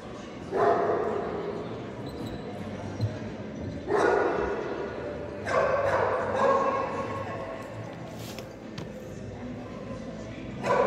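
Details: Komondor named Anka at the 2022 Sarajevo Winter Dog Show giving single loud, full barks spaced roughly two to five seconds apart, four in all, over a steady murmur of an indoor crowd.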